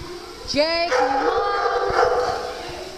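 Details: Playful farm dogs during playtime: a sharp rising yip followed by a drawn-out, wavering whine, with a person's voice and muffled movement nearby.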